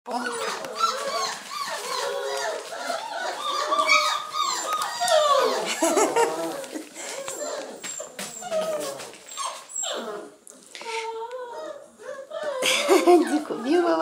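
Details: Basset Hound puppies at a kennel in Londrina, Paraná, Brazil; many overlapping high, wavering whines and squeals, rising and falling, some short yelps, with music underneath.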